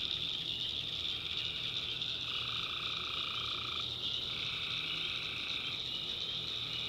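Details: Tree frogs calling at night in a swamp in the backwoods of North Carolina: a steady, shrill high chorus with a lower, buzzy trill that swells for about one and a half seconds, then a second rasping trill.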